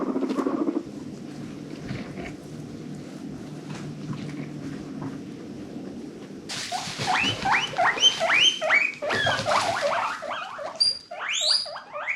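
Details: Adopted pet guinea pigs, happy wheeking: after several seconds of quiet low hum, a burst of loud, sharply rising squeals repeats rapidly, some climbing very high.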